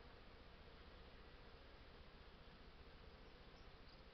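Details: Continuous low droning hum of many honey bees at the hives while an artificial swarm is made, evenly loud throughout with a faint pulsing texture.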